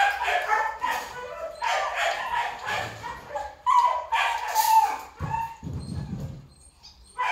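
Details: Kennel in Vietnam with a black male Belgian Malinois: uneven barks and high whimpering yips, then a brief lull with a low rumbling noise before barking resumes.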